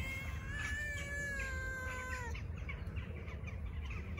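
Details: Stray tabby cat with a sad face, seeking affection rather than food, gives one long drawn-out meow lasting about two seconds, steady then gently falling at the end, followed by low background rumble and faint bird chirps.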